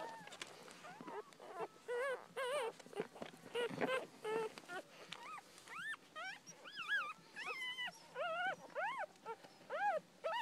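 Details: Four newborn Miniature Dachshund puppies, born September 11, squeal and whimper in high, arching squeaks that rise then drop away, calling over one another in short bursts with faint rustling between.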